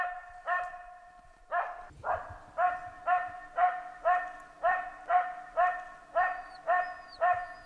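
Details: Norrbottenspitz hunting dog barking during a hunt: loud, ringing, tonal barks delivered in a steady run of about two per second after a short pause, with a faint low hum beneath.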